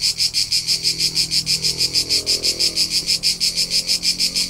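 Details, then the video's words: Crickets recorded on a summer road trip through the rolling hillsides of Tuscany, central Italy: steady high shrill pulsed chirping, about three pulses a second, very regular, with a faint low hum beneath. "CRICKET SOUNDS for TINNITUS and RELAXATION : : Soothing Soundtrack of Cricket Noises"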